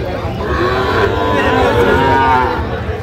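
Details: At Ambari market in Dinajpur, Bangladesh, crowded with cattle on Friday 1 August 2025, Sahiwal cattle give a wavering, sustained moo that rises near the end, over constant market hubbub and talking.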